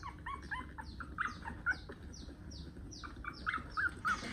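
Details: A month-old puppy whimpers during a nail trim: short, tight, squeaky cries repeated about every third of a second, over thin descending chirps higher up and a steady low hum.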